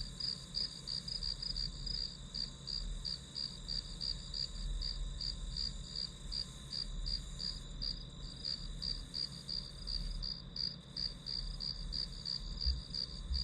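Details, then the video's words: Chirruping grass insects in a long unbroken run of high, evenly spaced pulses, close to three per second, layered on a constant shrill tone and a faint low-pitched hum. "풀벌레 소리"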